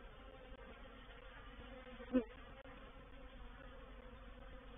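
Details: Reproductive swarm of honey bees moving into a bait hive at Painted Peacock Manor on 04/07/21; a low, steady hum with banded tones, and one loud bee buzzing close past the microphone near the middle.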